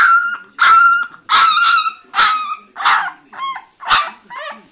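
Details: Orange female Leonberger pup giving a run of high, strained barks and yelps, some drawn out and whiny, about seven bursts in under five seconds, with faint voices in the background.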